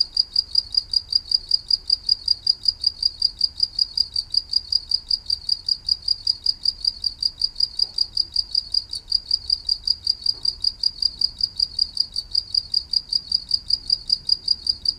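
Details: Continuous cricket chirping, a sharp high trill of regular pulses about four or five per second, with a couple of faint soft knocks partway through.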